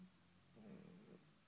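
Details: Shih Tzu dog indoors giving a short, low rumbling growl with a steady droning tone, swelling briefly near the middle and then fading, between Hungarian speech.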